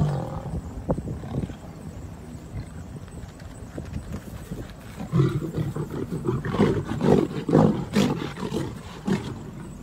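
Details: Male lions in the jungle, confronting a pride trespassing on their territory: deep, rough growling roars in irregular bursts, swelling louder and harsher from about five seconds, over steady outdoor background noise.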